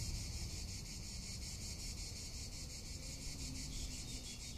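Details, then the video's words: Tuscan summer cicadas keep up an unbroken, high-pitched rasping hum with a fast regular throb, while wind noise murmurs low in the background. "Cicada or Cigarra - Sounds of summer in Tuscany"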